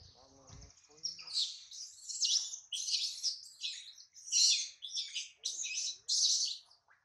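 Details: Baby monkey Adler, hungry and longing for his mother, held by a small monkey, utters a rapid string of loud, shrill, pulsing squeals about every half second after a brief low murmur at the start.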